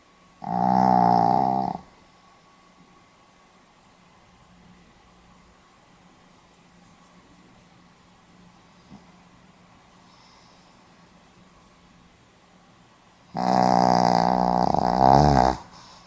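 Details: Sleeping Pomeranian recorded on 4 November 2015. Two loud, buzzy snores, one at the start and one near the end, each lasting more than a second. A long stretch of quiet room hum separates them.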